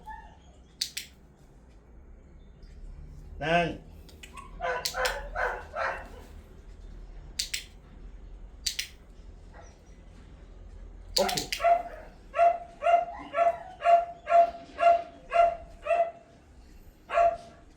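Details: Pomeranian dog named Mee Yoo during obedience training at home: a steady run of short, clipped, tonal yaps repeated about every half second near the end, with a person speaking commands and laughing in between.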